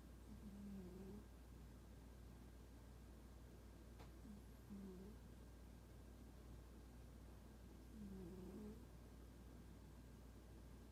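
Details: Quiet puffing 'poo-poo' snores from a sleeping, standoffish cat, three low breaths spaced roughly three to four seconds apart, with a steady low hum in the background.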